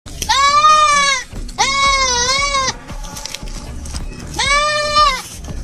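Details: Goat with a broken leg, caught alive by a Komodo dragon and bitten on the foot and head. It gives three loud, long, wavering bleats, each about a second, with gaps between them. Faint background music and narration.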